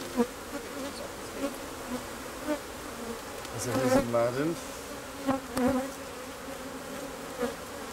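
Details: Honey bees humming in a steady low drone, with short louder buzzes standing out and a swooping, pitch-bending buzz around the fourth second as one insect passes close by.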